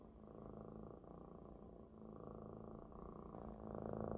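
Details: A Maine Coon kitten lies comfortably on his big, fluffy Maine Coon friend and purrs loudly and steadily, a low rumbling vibration that pulses on without a break.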